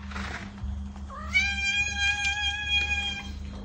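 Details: Domestic cat giving a single drawn-out meow, used to draw a pet's attention; the call rises briefly then holds a steady pitch for about two seconds, with a faint hum underneath.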